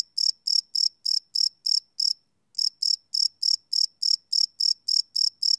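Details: Crickets chirping at night, live field recording on a Sony PCM D100: crisp, high, clearly separated chirps at a brisk, even pace of about three per second, with one short pause.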